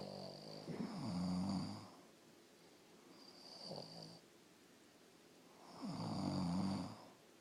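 Deep, rattling snores come from a sleeping Boston Terrier, each drawn-out breath a low, buzzy rumble. The snores repeat every few seconds, with a quieter one between the two loudest.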